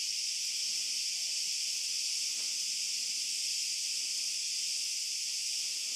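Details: Cicadas in an olive grove at night produce an even, continuous high sizzling buzz for the whole stretch, with only faint low rustling below and almost no footsteps.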